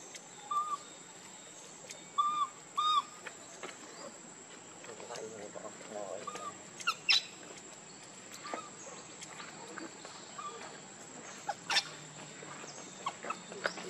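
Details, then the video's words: Hungry baby monkey crying for milk: three short arched whistled cries near the start, the second pair close together, then scattered clicks, rustling and a steady high electrical whine through the rest. "Very Pitiful Need Milk Crying foaming At The Mouth I Lovely Baby Monkey"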